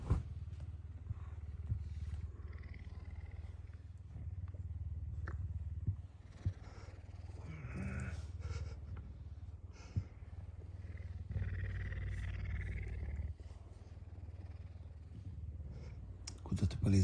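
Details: A pet puma, hungry in the morning, purrs loudly while butting its owner and persistently begging for food. Its deep, continuous throbbing purr lasts throughout, with brief rustles, bedding noises and a few faint voice sounds.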